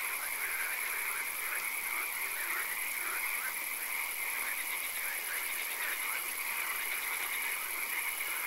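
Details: Frogs croaking in a nighttime swamp with occasional rain: quick, repeated nasal chirps from numerous callers merge into a pulsing wall of sound, with a steady shrill tone sustained above and soft hiss beneath.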